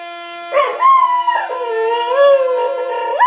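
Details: Australian Kelpie named Jowdie howling along to the Last Post: a long wavering howl that slides up, dips and rises again, heard over steady sustained brass-like tones playing throughout.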